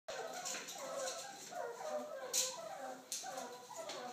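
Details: Meerkats at Oakland Zoo, excited before feeding in a behind-the-scenes area, give a steady run of short, chirpy, squeaky calls with a few sharp clicks.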